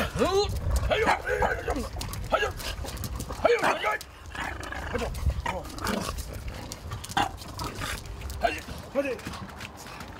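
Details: Bulldog puppies, French and English, whining and squealing in a run of curved, arching cries that rise and fall, some stacked and overlapping, mixed with a woman speaking French and rustling movement.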